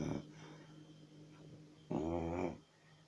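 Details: Chow Chow dog snoring indoors: a single rough, rattling snore burst lasting about half a second near the end, after a brief snort at the start, with a steady low hum in the room.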